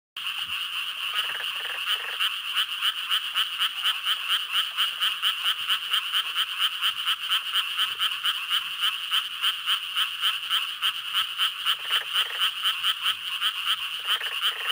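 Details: Japanese tree frog advertisement call: a long, unbroken run of bright, raspy pulsed croaks, rattling on steadily for nearly fifteen seconds without a pause, over a faint constant high hum.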